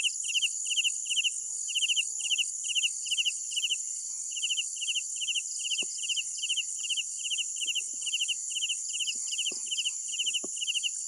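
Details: Crickets at night give steady rhythmic chirps, each a short burst of several rapid pulses, repeating evenly about twice a second above a continuous high-pitched buzzing chorus, with a few faint clicks.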